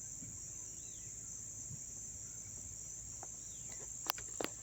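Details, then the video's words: Crickets chirping up close in Dobbs Ferry, New York, on September 9, 2024: a steady, unbroken high-pitched trill from many insects, with a few sharp clicks near the end and faint low rumble beneath. "sounds of the crickets chirping"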